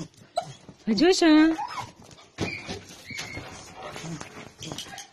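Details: A dog gives one loud, rising and falling whine among people talking in Bulgarian, with rustling and handling noises indoors.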